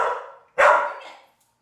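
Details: Pit Bull Veronica Lynn learning to fetch a single-serve wine bottle from the fridge gives two barks: a drawn-out one fading away, then a sharper, louder bark.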